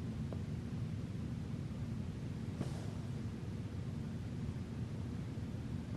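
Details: Steady low rumbling noise fills the recording, with a single faint click partway through and no animal voice.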